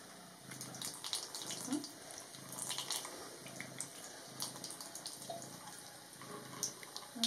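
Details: Maine Coon cat named Leoś purring while being bathed and rinsed indoors; soft low purring pulses roll in steadily, roughly every 0.7 seconds, beneath running tap water, dripping and splashing, with a few brief words spoken.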